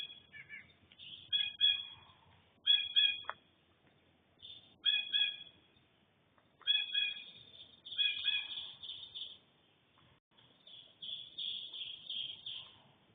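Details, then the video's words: Bobcat making noises in a backyard while three deer watch, early morning of 4 June 2025: clusters of harsh, harmonic, meow-like yowls come in short bursts every one to two seconds, with quiet gaps between the groups. "Bobcat making noises"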